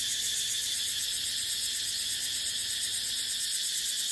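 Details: Cicadas calling in dry dipterocarp forest in the dry season, with wind: an even, intense high-pitched whirring drone with no breaks and nothing else standing out.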